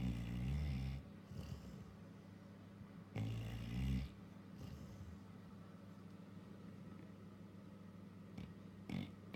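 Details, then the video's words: Female Labrador in deep sleep, twitching all over, snores in low, throaty bursts: two strong rasping snores about three seconds apart, then softer breathing, over a steady low hum. "Labrador dog in deep sleep snoring & twitching everywhere as though she's pocessed"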